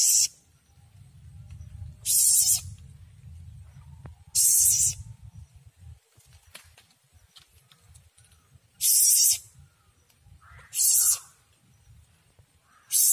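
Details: Young Asian palm civet inside a house hisses in short, harsh, airy bursts spaced irregularly a few seconds apart. A low rumbling background is audible early on.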